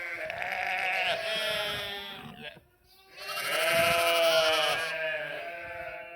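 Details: Sheep and lambs bleat in two long, quavering, harmonic calls, each lasting over two seconds, separated by a brief silent gap.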